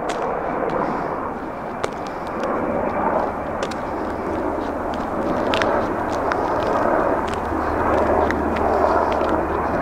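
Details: Steady broadband rumble of traffic or aircraft with faint voices and occasional clicks, no animal calls.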